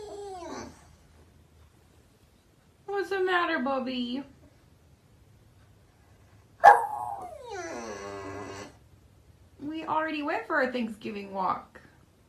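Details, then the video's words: Pet dog indoors howling in drawn-out, falling, mournful notes, several separate howls with pauses between, the last wavering and broken; a person talks quietly to the dog. "Funny Dogs Howling"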